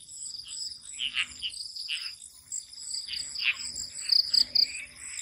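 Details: Crickets calling at night in a swamp, a steady high shrill trill with short bright pulses near four seconds, while lower frog croaks rise and fall behind them.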